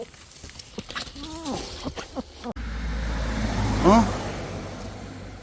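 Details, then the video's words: Abandoned Labrador Retriever puppy, rescued after falling into a drain, crying alone: an arched, tonal whine early on, then a louder rising-and-falling whimper near the end. A person's coaxing voice is heard throughout, over traffic-like rumble. "배수로에 빠져 울고 있던 새끼 강아지"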